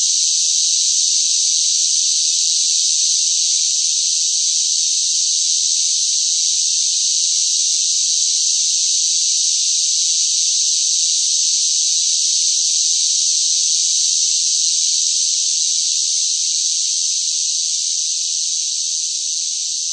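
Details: Shrill, continuous cicada song during intense summer heat, a steady high buzz that fades a little toward the end, with no other sound present.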